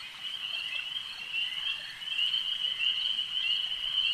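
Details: A mass of frogs at a lake produces a steady high-pitched trilling drone with fast irregular pulses, growing a little louder after the first seconds.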